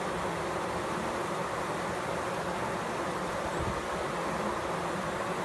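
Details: Fanning bees, heard close up, produce a constant, even droning buzz. Low humming tones stay steady under a broad, hissing wash from start to finish.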